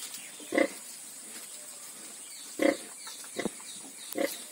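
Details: Pigs at a farm with ten newborn piglets, four short grunts about a second apart, each a brief burst over a constant hissing background.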